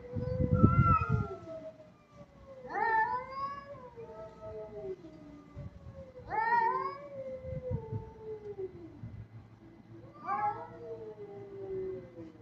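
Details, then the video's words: Kitten in an aggressive mood meowing repeatedly, four loud wavering calls that rise sharply then slide down and trail off, spaced a few seconds apart over low background rumble. "Cat sound meow || Kitten"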